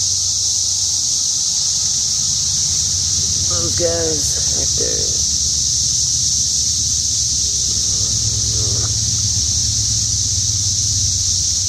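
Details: High, steady cicada drone filling the air outside a house, constant and shrill throughout, overlaid by a man talking in short bursts and a low background hum.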